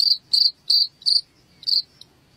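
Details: Cricket sound meant to drive rats out of the house, heard as five separate short shrill chirps spaced irregularly over two seconds against a quiet low background.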